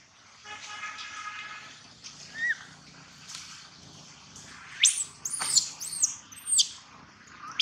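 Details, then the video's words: Baby monkey Gino crying loudly: a few faint early squeaks, then a burst of sharp, high, sweeping cries in quick succession near the end, each rising and falling steeply, over a low background hiss. "Poor baby monkey Gino crying sound loudly a long time till Quiet"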